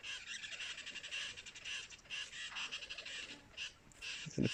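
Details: At Mala Mala near Kruger, several squirrels keep up a dry, scolding chatter of quick clicking bursts that overlap and repeat without pause, alarm calling at lions close by. An elephant is nearby, and a soft thump is heard near the end.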